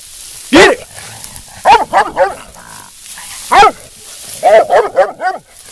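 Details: Young female black and tan coonhound, nearly two, working toward a show championship. Irregular barking: a lone loud bark, a burst of three, another single, then a rapid string of four or five barks.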